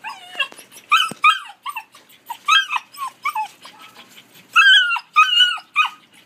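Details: Collie puppies, 73 and 86 days old, recorded 12 August 2013, whimper in a steady run of short high whines, each bending downward, repeated roughly twice a second with brief quiet gaps.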